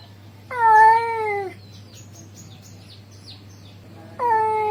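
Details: Male cat calling a female: a loud meow that slowly falls in pitch, faint high chirps during the pause, then a second meow beginning, all over a steady low hum.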